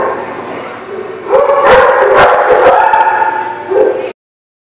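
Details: A group of dogs, recorded 5/4/18, starts with a softer background of barking, then erupts into loud, crowded barks and yelps over steady howling tones before cutting off abruptly.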